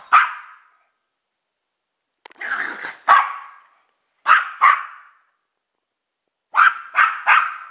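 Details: Two mixed-breed pet dogs, a chihuahua/pug mix and a rat terrier/pitbull/jack russell/beagle mix, giving sharp high barks in bursts: one at the start, a pair near three seconds, a pair at four, then three quick barks near the end.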